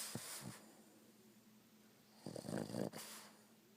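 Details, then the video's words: Boston Terrier snoring: a short snort near the start, then a loud rattling, buzzy snore from about 2.3 to 3 seconds over a steady low hum. "Snoring Boston Terrier"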